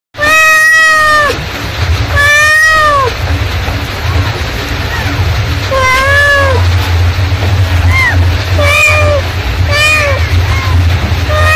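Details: Mother cat calling, giving loud harmonic meows: two long arching cries early, then a run of shorter, quicker meows later, with a steady low hum throughout.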